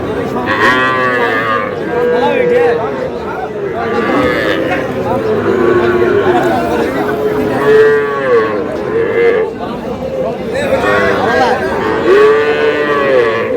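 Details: At a Bangladeshi cattle market in Barishal, Sahiwal bull calves give a run of loud moos, each bellow lasting about a second and recurring every two seconds or so, overlapping one another amid constant crowd noise and voices.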